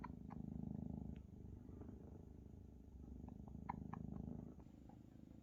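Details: Large Maine Coon kittens purr hard as mother Luna feeds them, a deep steady rumbling purr swelling in two strong phases, with small wet clicks and suckling sounds on top.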